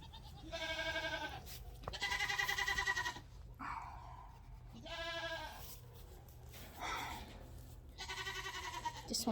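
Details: Friendly Nigerian Dwarf baby goats on a farm, crowding close for attention. Four loud, wavering, harmonic bleats about every two seconds, each roughly a second long, with a person's voice nearby.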